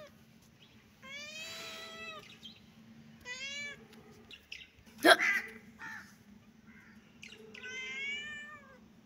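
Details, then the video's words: Playful kitten and cat meowing in a happy mood: three stacked harmonic meows, one sharp knock in the middle, over a steady low hum. "Baby kitten and cat playing 😺❤️-happy mood-kitten and cat meowing"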